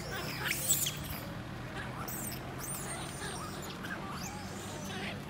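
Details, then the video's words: Baby monkey left alone by its mother, crying: thin, high squealing cries that sweep up and down, repeated in short bursts over a steady low background hum. "Baby monkey Lori crying so sad because careless Mum Amari Leaves her alone."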